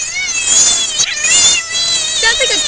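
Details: Captured frog letting out a continuous high, wavering shriek with a strained, buzzy tone, pitch wobbling up and down throughout, a brief lower squeal near the end.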